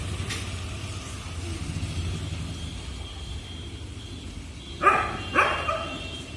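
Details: A dog gives two short, sharp barks in quick succession near the end, rising clearly above a steady rumble of road traffic and passing vehicles that fills the rest of the recording.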